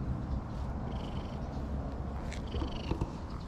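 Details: Stray cat at a green lakeside park in Japan, meowing again and again; two thin, high, tonal meows, one near the first second and another just before the third, over a steady low rumble of wind or distant traffic.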